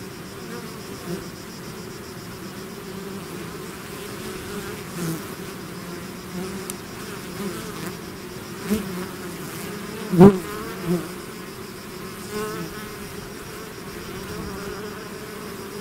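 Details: Bees swarming from their hive give a soft, constant droning hum, broken by several louder close passes, the strongest a sudden sharp buzz about two thirds through.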